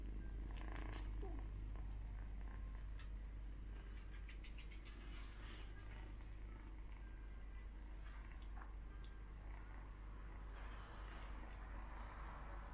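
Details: Persian kittens suckling from their brother, treating him as their mother, with a continuous low purring rumble underneath, scattered handling noises and brief faint voices.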